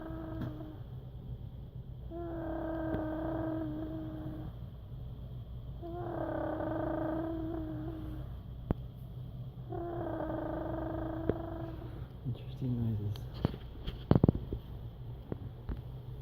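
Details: Sleeping cat Emma, recorded November 2016, gives three drawn-out, steady tonal moans of about two seconds each, spaced a few seconds apart. A short rising chirpy flutter follows near the end, with a constant low background hum.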